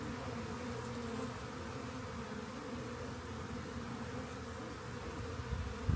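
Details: Honey bee swarm discovered beside a rain gauge before being collected; continuous low buzzing drone of many bees, even and unbroken, with a brief louder rustle at the very end.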